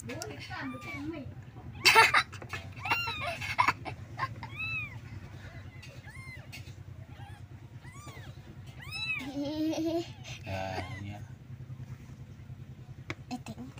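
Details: Several kittens calling for their mother because they want her milk: short, high, arching mews repeated through the clip, often overlapping, with occasional knocks and rustles and a steady low hum in the background.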